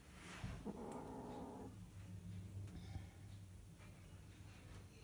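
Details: A Scottish Fold cat gives a low, rough, drawn-out growling yowl while mating.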